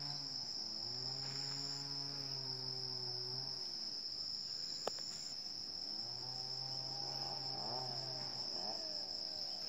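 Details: Wild Asian elephant herd in Chanthaburi Province, Thailand, recorded at 7:18 in the morning on 10 December 2016: two long, deep, harmonic rumbling calls of about three seconds each, a sharp click between them, over a constant high-pitched cricket chorus.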